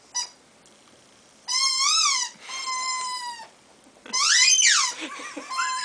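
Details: A Chihuahua puppy gives high, squeaky whines that rise and fall in pitch, seemingly wondering.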